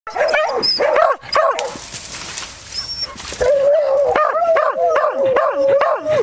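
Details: Beagle and Beagle-Harrier hunting dogs holding a wild boar at bay, giving loud rhythmic baying barks, each a short rising-falling yelp, about two per second, broken by a brief noisy pause with rustling.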